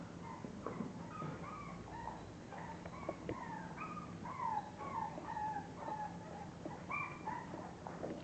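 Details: English bulldog puppies in a litter giving many high, thin squeaks and whines, short tonal cries bending up and down, several pups calling over one another above a low background hum.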